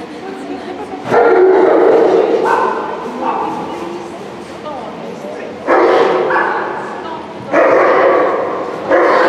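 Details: Border Collie named Guy at an Obedience-1 competition, St Petersburg Cup, 11 February 2018; loud reverberant barks in separate bursts near 1, 2.5, 5.7, 7.5 and 9 seconds over steady indoor hall murmur.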